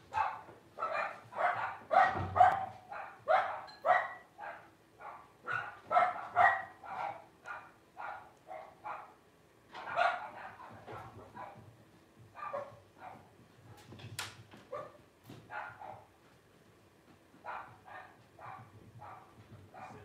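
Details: A litter of five Blenheim Cavalier King Charles Spaniel puppies, 12 days old, born over New Year's 2023, crying in rapid, uneven bursts of short squeaky yelps, about two per second, with brief pauses and a soft rustle.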